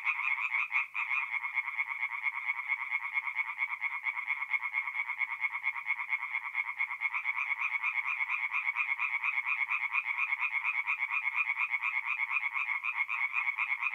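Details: Tree frogs in full song at night around a forest pond in North-East Italy, mid-April; an even, unbroken chorus of fast croaking pulses, steady and dense throughout, with no other sounds.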